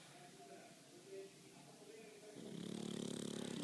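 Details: A male pug sleeping as a house pet: low room murmur at first, then a loud, rough, rhythmic snore with a fluttering buzz starts partway through and continues to the end.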